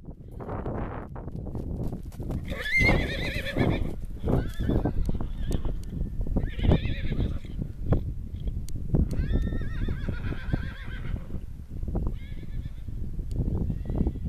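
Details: Stallions running around a field and neighing, upset because the mares are in the stables to foal; several loud harmonic whinnies with wavering pitch over constant heavy hoofbeats and thudding ground noise.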